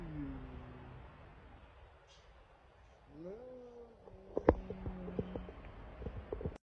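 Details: Stray kitten rescued from the street at night: two drawn-out, low mewing cries, the second rising then holding level, over faint background hiss, followed by clicks and handling knocks.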